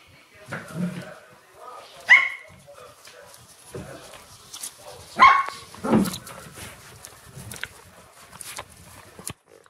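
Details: Shiba Inu puppies in the morning give short, sharp, high-pitched yelps near two, five and six seconds, with quieter whimpers between and human voices talking in the background.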